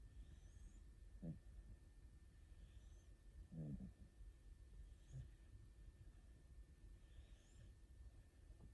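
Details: Rescued cats, an orange tabby named Aruto and a calico named Ranka, sleeping while hugging each other indoors; soft, low, throaty snores in short bursts about every one to two seconds over a quiet room hum.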